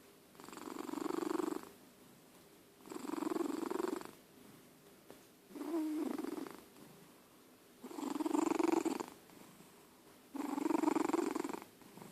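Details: Sleeping old cat George gives steady rasping snores, each about a second long, coming regularly every two and a half seconds in a quiet indoor setting.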